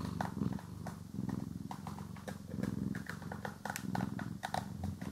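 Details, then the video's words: Purring house cat during grooming and brushing: a low throbbing purr rising and falling in waves, overlaid with crisp brush strokes and light ticking sounds, captured in stereo. "CAT ASMR | Purring, Grooming & Brushing"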